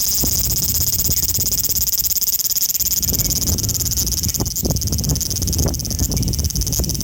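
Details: Large brown cicada, a male, recorded 5 August 2019 in Osaka city on an Xperia XZ1: a continuous hissing, frying-oil buzz pulsing rapidly and evenly throughout, with low rumbling thumps beneath.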